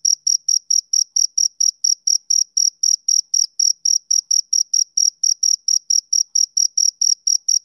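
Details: A male cricket on a summer evening chirps in a fast, regular series of piercing high pulses, about four per second, with slight unevenness midway and nothing else audible.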